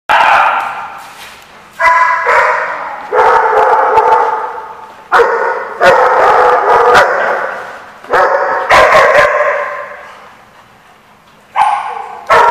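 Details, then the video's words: Dogs at a barking lot on 4/10/15 give loud, repeated barks, some sharp and some drawn out, with echoing tails between bursts. "The Barking Lot"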